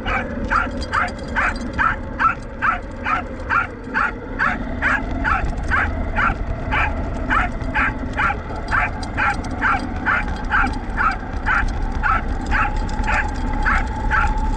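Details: Roku, a pet Welsh Corgi, recorded 19 November 2019 during a test run of an RC car towing a field cart. He gives rapid sharp barks, about two per second, over a steady mechanical hum that shifts pitch partway through.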